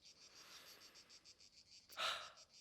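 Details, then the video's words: Cicadas sing a steady, high, pulsing buzz in Mediterranean garrigue near Montpellier, Hérault, southern France, among olive trees, broken briefly by a short human sound. "Je sais d'avance que ça va être une très bonne vidéo parce que écoutez le bruit des cigales mesdames et messieurs."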